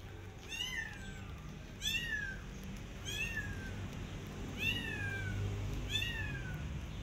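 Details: Persian cat out in a garden with her adopted kittens, carefully watching rabbits; five high, thin meows, each bending upward then falling, spaced roughly every second and a quarter over a soft low background hum.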